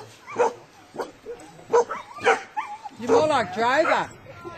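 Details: Eva, a Koolie herding dog, barks at a Brad Pellow herding workshop as she meets moving sheep and instinct kicks in; sharp barks about every half to full second, then people talking over her.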